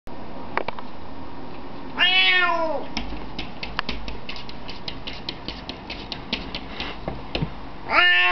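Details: A newly adopted domestic cat kept indoors meows to be let outside: a faint short meow, then one long drawn-out wavering meow, clicks and taps in between, and a final sharp meow; a person says "out" afterward.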